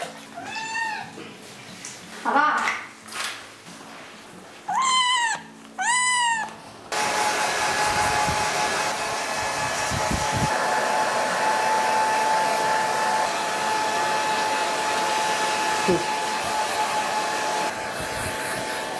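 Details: Bathed kitten grumbling with a quick run of sharp, arching meows before a hair dryer starts and drowns out everything with a steady roar.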